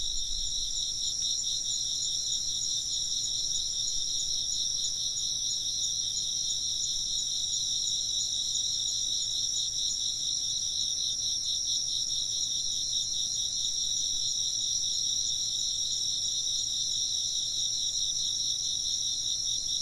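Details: Constant high chirping of insects, a dense, even shimmer of pulsed trills in multiple pitch layers, steady in volume from start to finish with almost no other sound.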